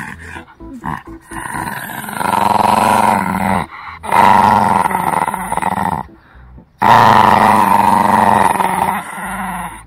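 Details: Shih Tzu puppy growling during a tug-of-war game at home while teething, with a retained lower baby canine; rough, rumbling growls in three sustained bouts of about two seconds each, separated by short pauses.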